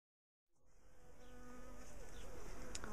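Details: A large, defensive bee colony in a garden top bar hive, being dismantled and split into smaller boxes. After a brief silence, a low, dense hum swells in and grows steadily louder.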